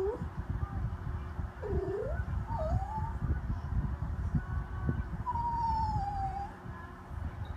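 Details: Jack Russell Terrier asking to come up, giving short dipping and rising squeaky whines, then a longer level whistled whine near the end, over steady low background rumble.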